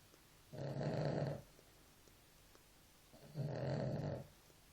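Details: Two drawn-out, rumbling snores from a sleeping dog, each close to a second long and about two and a half seconds apart, in a quiet indoor setting.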